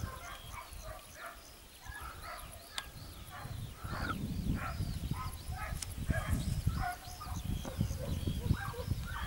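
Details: Segugio Italiano hounds near Sofiko, Evros, on 12 June 2021: distant arched bays rise and fall in overlapping bursts, several voices at once, over heavy low rumble and rustling.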